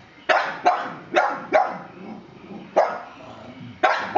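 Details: Pug named Wally (Walnut) barking at a scary plastic horse indoors: six sharp, loud barks in uneven bursts, two close together near the start, then a pause before the later ones, with low rumbling between barks.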